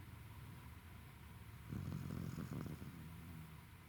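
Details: Roku, a tired Welsh Corgi, snoring; a low rumbling snore builds around the middle of the recording, with a soft continuous hum in the background.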